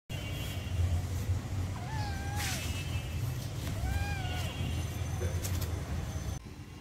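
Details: Cat playing and play-fighting outdoors in a garden; two drawn-out, slightly falling meows about two seconds apart over a steady low rumble like a passing vehicle.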